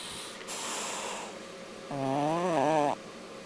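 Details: A single raspy snore from a sleeping English bulldog on a weekend, about a second long, low, buzzing and wobbling in tone, following a stretch of soft breathy hiss.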